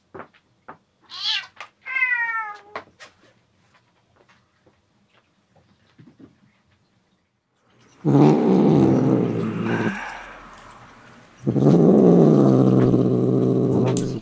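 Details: A male red tabby and white rescued kitten, taken in at one day old, in an indoor cat room: a high rising-falling meow with clear stacked overtones near the start, then two long loud rumbling bursts of low purring or growling.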